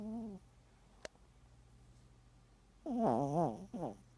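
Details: Teacup Poodle snoring, recorded September 2014: a short low tone at the start, a sharp click, a quiet stretch, then a wavering, whistly snore near three seconds and a shorter one after it.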